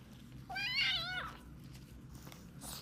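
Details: Two-month-old British kitten with a viral infection affecting its eyes and ears, meowing during an ear-cleaning session: one wavering, harmonic-rich meow that rises, then slides down over under a second, with faint handling rustle behind it.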